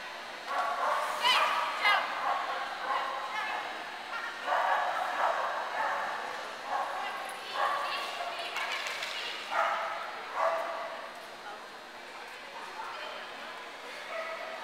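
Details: Clumber Spaniels at Concord, November 2009: bursts of rapid barking come in clusters every second or two, then fade toward the end, over steady human chatter in the background.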